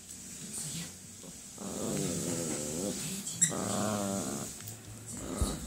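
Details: A Yorkshire terrier, wanting to play, gives two drawn-out, wavering growl-like vocalizations over a steady background hiss.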